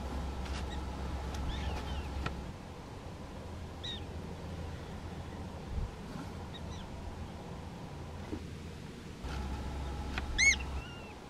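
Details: Prairie dogs in a small prairie dog town in North Dakota, filmed with a Canon SX70HS. Scattered short, sharp chirps, then a loud ringing double bark near the end, over steady low wind rumble.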